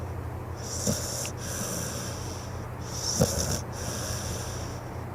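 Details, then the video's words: Napping pit bull on a couch giving two wheezy, snorting breaths about two seconds apart, each a hissing rasp with a short snort at its peak, over a constant low room hum. "Adorable Snoring Pit Bull"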